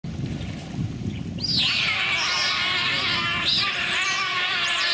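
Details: Giant otter (Pteronura brasiliensis), screams: aggression by a group toward an intruding otter.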